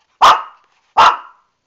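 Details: Two loud, sharp barks about three quarters of a second apart from Lani, a Shih Tzu who is angry at facing a bath and unable to climb out of the tub.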